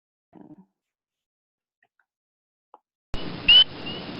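A spring peeper gives a single high, clear peep that slides upward, over a steady background hiss.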